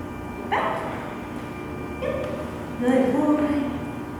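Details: Kevin, a 3.5-year-old Australian Cattle Dog adopted at ten months, eager and excited during a training session. A sharp yip, then a brief pause and drawn-out, wavering whines near the end, over a steady indoor hum.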